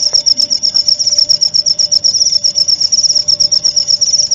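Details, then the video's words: Cricket chirping used as a lesson recording for white-rumped shamas (murai batu), played nightly and at dew time. A sharp, high, quickly pulsing trill continues without pause over a faint steady hum. "masteran suara jangkrik jernih!"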